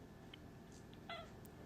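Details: A short, sharp meow from Alfy, a pet cat who wants to go back outside; one quick harmonic cry near the end, preceded by faint clicks, with constant low background hum.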